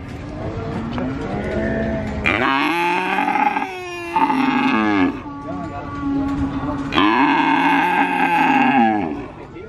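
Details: Calf at a Purwokerto cattle market in Indonesia calling repeatedly: three loud, rough moos, each one to two seconds long, separated by brief pauses, over a low murmur of market noise.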